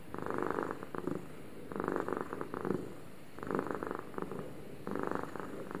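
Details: Two domestic cats purring at the same time indoors; low rumbling purr in rhythmic bursts, each lasting about a second and swelling and fading, with steady quiet pauses between breaths.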